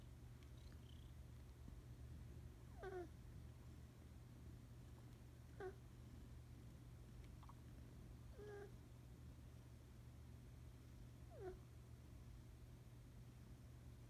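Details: Sleeping kitten snoring softly indoors. Faint snorting breaths recur about every three seconds over a steady low hum.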